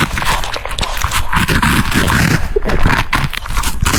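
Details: French Bulldog chewing cucumber pieces close to the microphone; a short, busy stretch of moist crunches and snappy bite clicks over a heavy, booming low layer, steady without breaks.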